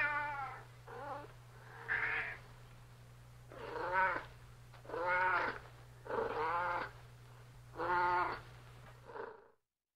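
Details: Domestic cat meowing repeatedly: about six drawn-out, rich harmonic meows, some rising then falling, spaced roughly a second or two apart, over a steady low electrical hum, ending in silence.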